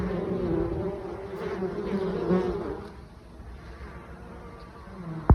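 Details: Honey bees in October carrying mustard pollen at their hive: a buzzing hum that is fuller for the first three seconds, then thins and quiets, ending with a single sharp tap.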